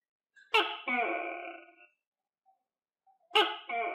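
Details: Captive tokay gecko, fed crickets, gives two strident calls, each a sharp onset sliding into a drawn-out nasal tone, separated by about three seconds of quiet.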